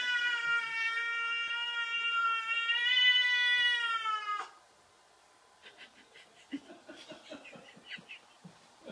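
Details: Indoors, a pet cat confronts a cat-shaped balloon and gives one long, steady, harmonic-rich meow lasting about four seconds, holding an even pitch with a slight waver, followed by quiet scattered scratching and tapping sounds.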